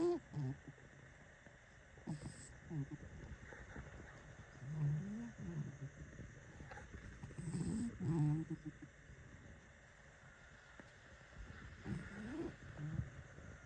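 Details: Chester, a pet cat and heavy sleeper, snoring while asleep: low, rumbling breaths rising and falling in soft bursts every few seconds, over a steady faint background hum.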